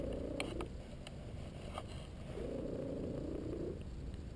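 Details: ['Domestic male cat purring while napping and getting a massage. A low rumbling purr runs throughout, with a faint whistly squeak riding on some breaths and soft clicks.']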